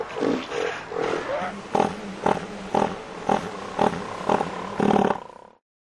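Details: Southern elephant seal bulls fighting over mating rights for females; a deep, pulsed roar of throbbing, broadband bursts, first rolling blocks then sharp regular pulses about every half second, ending abruptly.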